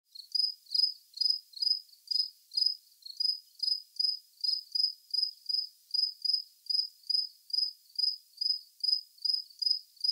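A cricket chirps steadily, with high, pulsed bursts repeating about twice each second.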